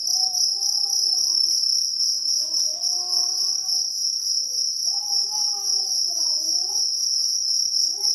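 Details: Jangkrik kalung cricket giving a steady, shrill, high-pitched pulsing trill without pause, while a child's voice sings or speaks in wavering, gliding tones underneath.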